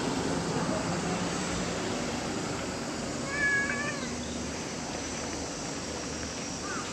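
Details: Playful cats gathered around a waiting room, romping together; one short, rising-then-falling meow with layered overtones near the middle, set against steady outdoor hiss and rumble.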